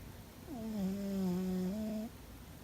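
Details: A single long snore from Fuzzy the cat, a steady low hum that starts with a brief drop in pitch and lifts slightly before stopping, set against a quiet indoor background.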